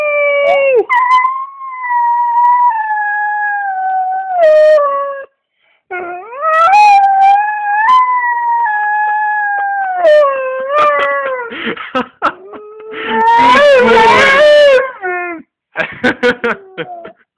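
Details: Male German Shorthaired Pointer howling like a wolf: long, sustained tonal howls with a wavering, slowly falling pitch, broken by short pauses, then a rougher, noisier burst and brief yipping howls toward the end.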